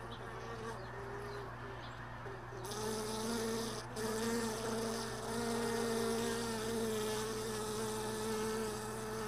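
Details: Honey bees around hive boxes left all day in a truck bed, early morning after most bees had left overnight; a wavering, droning hum of several pitches swells in loudness after about three seconds and holds steady, with faint high chirps above.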